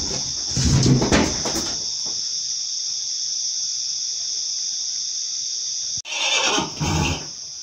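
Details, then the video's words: Nervous pony, apparently named Chico, in its stall: a loud, rough whinny burst lasting about a second, then a second shorter burst near the end, over a constant high shrill chorus of crickets. "Cavalo pônei nervoso na baía"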